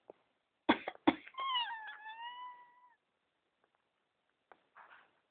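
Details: Female domestic cat meowing in her sleep in response to her owner coughing indoors: two sharp coughs, then one drawn-out, slightly falling meow lasting about a second and a half, followed by faint rustling.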